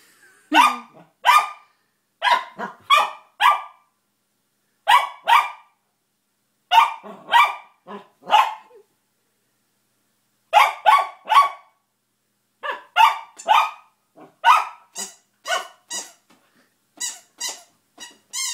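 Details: Pet dog Bentley barking at a new squeaky toy, puzzling over how it works; crisp repeated barks come in quick clusters of two to four, some higher and yappier toward the end, with brief silent gaps.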